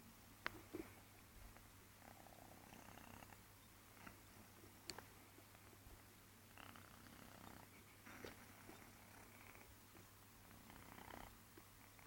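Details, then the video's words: Sleeping new kitten named Tiffy Boo snoring indoors: soft, breathy rasping snores rise and fall every two to four seconds over a steady low hum, with a few faint clicks. "My snoring kitty"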